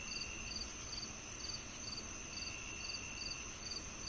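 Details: Rhythmic cricket chirps meant to mask tinnitus, high and clipped, repeating roughly twice per second, with a constant whining tone underneath and a dense low hiss.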